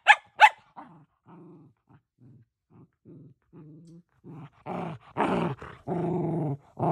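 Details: Shetland Sheepdog vocalising indoors: two sharp high barks, then a run of low, short growling grumbles, rising into louder, longer harmonic growl-whines toward the end.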